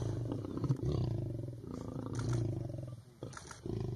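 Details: Hungry lions feeding at breakfast give deep rumbling growls, low and continuous with a throbbing pulse, while people talk nearby.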